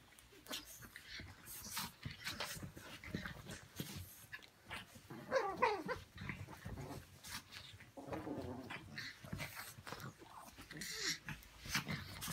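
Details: Brussels Griffon dogs Ivanka and Misha playing at a pyjama party, low playful growls and whiny grumbles recurring unevenly, with snuffles, rustling and a brief voice in the room.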